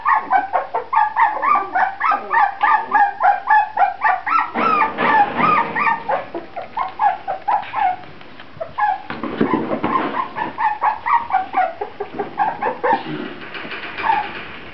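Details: Grand Basset Griffon Vendéen puppies in a litter: a rapid stream of high, arched whines and yelps, several voices overlapping, with a few short breaks. Brief noisier, rougher bursts in the middle, no other sounds.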